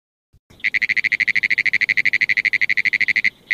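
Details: Frog calling in a fast, even series of short pulsed notes, roughly ten per second, forming a steady high trill for about three seconds before a final lone pulse.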